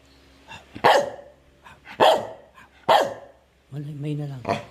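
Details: Medium dog giving three sharp separate barks about a second apart, then a longer whining, voiced tone at the end, with a person's speech nearby.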